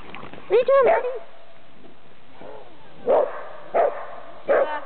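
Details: Dachshund meeting another dog, a terrier-schnauzer mix, at a park in Seattle; a drawn-out yelping bark with wavering pitch, then a pause and three short sharp barks about half a second apart.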